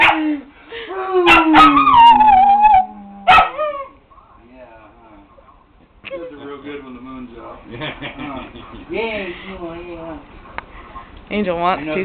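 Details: Pet dog howling together with its owner, a long descending howl early on, then softer whines and yips amid a man's speech and howling, with sharp claps punctuating.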